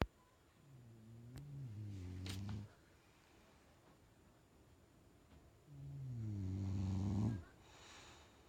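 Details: Two deep, rasping snores from a sleeping bulldog, each starting soft, swelling into a low wavering drone and cutting off abruptly, with a quiet gap of about three seconds between them.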